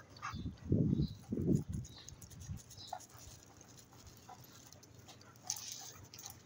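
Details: A female Rottweiler guard dog gives a few deep, rough growling bursts while eating, guarding her food.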